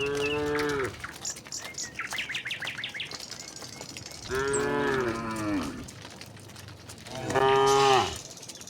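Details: Tame cows walking together from the next village toward their pen, lowing along the way: three separate moos, each about a second long with a downward-bending finish, with twittering birds in the quieter gaps.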